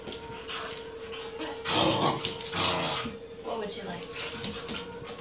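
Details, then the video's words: Playful Wheaten Terrier asking for a game: one loud, harsh burst near two seconds, then short yipping whimpers. A person is speaking nearby. "Wheaten terrier wants to play"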